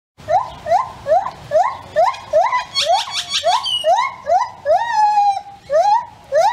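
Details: A lar (white-handed) gibbon gives its morning territorial call: clear rising whoops roughly every half second, quickening and climbing into a long sustained note, then resuming. Grackles sing in the background.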